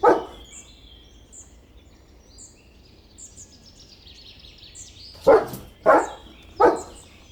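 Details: Dog barking: one bark at the start, a quiet pause filled with scattered bird chirps, then three loud, rough barks in quick succession.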